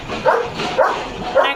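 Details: German Shepherd on evening guard duty at a farm, barking fiercely to protect his area: three loud, sharp barks about half a second apart, each a short, harsh burst.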